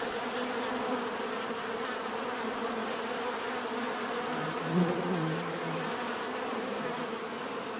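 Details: Steady swarm hum of bees in nature, broad and unbroken; midway a deeper, louder buzz swells briefly, like one bee passing close, then fades back into the mass.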